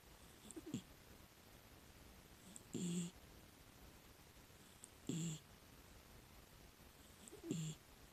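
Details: A miniature dachshund, a six-year-old rescued female, snores while sleeping. Four rough, low snoring breaths come about every two and a half seconds with a light hissing edge, in an otherwise quiet room.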